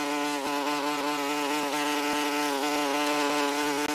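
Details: A common wasp (Vespula vulgaris) gives a steady, low droning buzz of beating wings, rich in overtones and wavering slightly in pitch.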